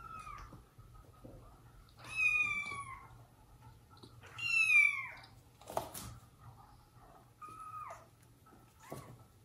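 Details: Household cats: mother cat Jaco with her kittens and abandoned foster kittens, while the dad cat punishes her for straying. Several bright, high meows, some bending downward, sound every two to three seconds in a quiet room.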